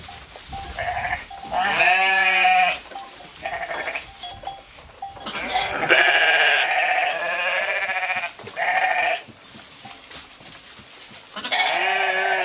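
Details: Several sheep grazing in a field bleat repeatedly, with harsh, quavering baas overlapping.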